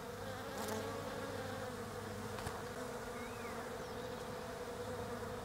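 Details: European honey bees visit autumn-flowering Desert Ash (Fraxinus oxycarpa) on an otherwise bare tree down under. There is a constant low buzzing drone, a single soft rising bird note midway, and occasional light clicks.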